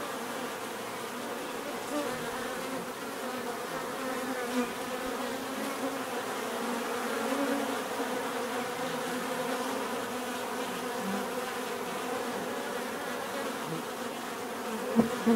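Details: Natural buzzing of bees, a thick steady drone of many insects with several hum layers weaving and swelling gently, a slight surge midway and a sharp click at the very end.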